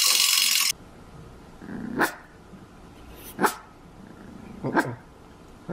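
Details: On her first day home in 2014, Herky, a young female Cavalier King Charles Spaniel, lets out three sharp, separate yips after a burst of loud noise at the start.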